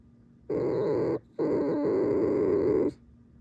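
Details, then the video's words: Pet fox kept indoors giving a drawn-out, harsh, buzzy squeal in two parts, a short burst then a longer steady one lasting about one and a half seconds, against a quiet room. "Перевод лисьего скрипа"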